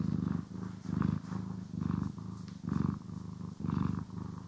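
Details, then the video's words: Close stereo recording of a house cat purring as it is brushed and groomed; low, buzzing purr swelling and fading in regular breath cycles about once per second, quiet in between. "CAT ASMR | Purring, Grooming & Brushing"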